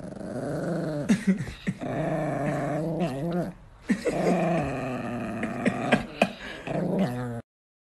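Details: Nikki, an angry pet Chihuahua, growls indoors in a long, continuous, harmonic snarl that rises and falls, broken by two short gaps and a few sharp yips.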